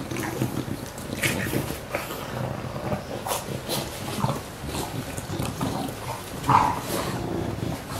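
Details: English Bulldogs WanWan and Fe, about one year old, filmed on 19 September 2015, give short snuffling grunts and noisy breaths indoors at irregular intervals, with one sharper burst near six and a half seconds.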